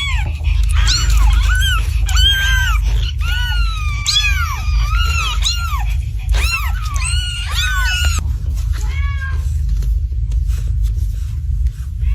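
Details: A mother cat calling her kittens: rapid, overlapping, high, arching meows that rise and fall, many voices crowding together for about eight seconds before fading, over a constant low rumbling hum.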